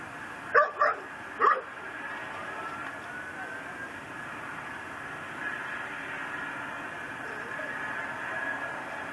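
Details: Pit bull tied to a yard post in Louisiana, barking around the clock, December 24, 2012 at night: a quick burst of three sharp barks near the start, then quiet background hum.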